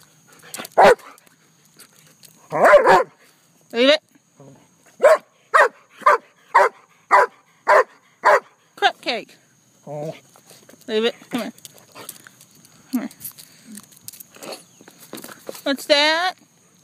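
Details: Pet German Shepherd barking: a few scattered barks, then a steady run of about nine sharp, evenly spaced barks, each roughly half a second apart, while a person talks to the dog and gives commands throughout.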